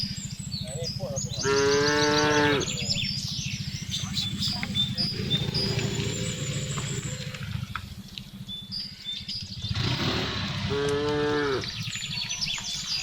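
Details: Domestic cattle herded homeward in the afternoon through a remote village, mooing to call the herd: two drawn-out moos several seconds apart over a persistent low hum, with bird twitters and faint background noise.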